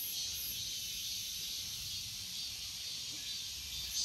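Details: Cicadas produce a steady shrill hiss, high and constant, over a quiet low background.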